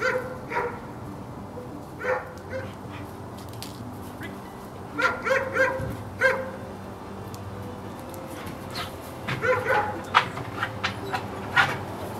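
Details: Female sable German Shepherd dog barking in scattered bursts: sharp, harmonic barks, single or in quick runs of two to four, spread across the stretch with quiet gaps between them and a low background hum.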